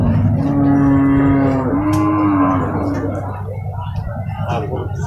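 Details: Limousin cow at the Purwakarta livestock market in Indonesia, amid loading and unloading of cattle; one drawn-out moo lasting about three seconds that dips briefly midway and then fades into low crowd and market rumble.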